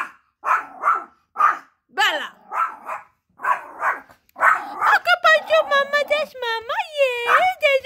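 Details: A small female Chorkie barks at her own shadow, giving quick, high, yappy barks in a rapid series while a woman talks excitedly and urges her on.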